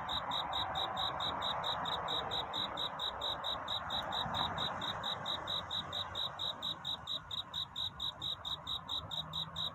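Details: Cricket singing a courtship song on a night toward dawn: high, even chirps pulse steadily, several per second, over a soft broad hiss and a low background rumble.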